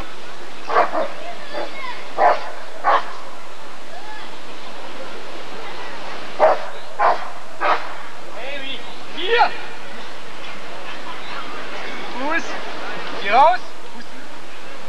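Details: Rottweiler barking at a 1994 ADRK breed survey (Körung). Short, sharp barks come in scattered bursts over a background of talking people and crowd noise.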